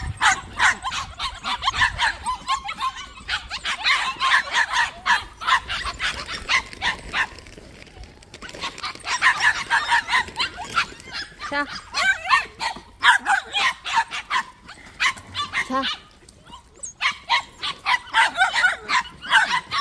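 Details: Several white puppies kept at a plum orchard yip and bark together in dense, overlapping bursts of sharp high calls, pausing briefly before starting again.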